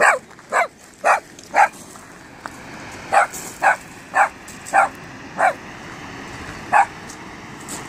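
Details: Five-month-old Cavalier King Charles Spaniel puppy on a day out at High Force, barking at his first sight of the waterfall: sharp, short barks, about ten of them at irregular intervals, over steady rushing water noise.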